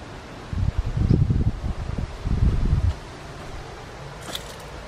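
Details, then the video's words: Cornered in a backyard after a door opened, a big black racer snake vibrates its tail like a rattlesnake, making a low, dry rustling buzz in uneven bursts over about two and a half seconds, then quiet. "when i first came upon him he went in the corner and started rattling his tail as hard as he could just like a rattlesnake there"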